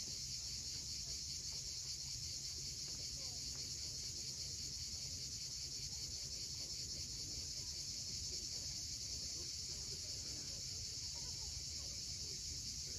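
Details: A continuous shrill buzz from cicadas fills a sunset on Crimea's steep Cape Fiolent coast, unbroken and even in loudness, with a soft surf rumble underneath.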